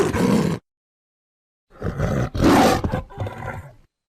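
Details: Lion's roar: a brief harsh burst, then after a gap a stuttering run of gravelly roars that rise, peak and fade over about two seconds.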